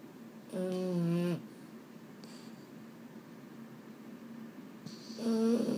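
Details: Bedtime snoring from a male Boston Terrier indoors: two loud, buzzy, rasping snores about four seconds apart. Between them are soft breathing and a faint hum in a quiet room.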